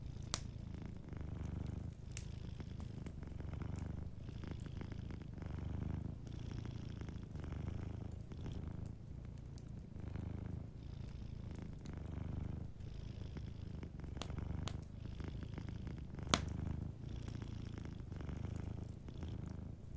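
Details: Sleeping domestic cat purring softly beside a fireplace: steady low rumbling purr in rhythmic pulses, roughly one breath cycle every second or so, with scattered sharp crackles and pops from the burning fire.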